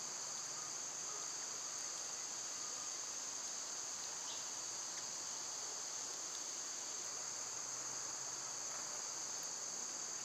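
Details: Cicadas in summer, when they are at their loudest, fill the air with a shrill, seamless electric buzz that stays steady throughout, and a soft low rumble underneath.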